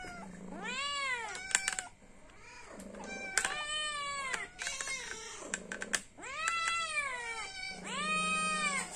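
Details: Hungry domestic cat meowing to ask for food: loud, drawn-out rising-then-falling meows repeated about every two seconds, with a person speaking Javanese softly between the calls.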